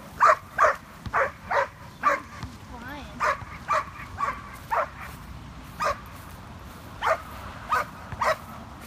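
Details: Giant schnauzer named Poppy, a skateboarding dog, barking steadily about once every second in short, clipped yaps, with a faint human voice and low background noise underneath.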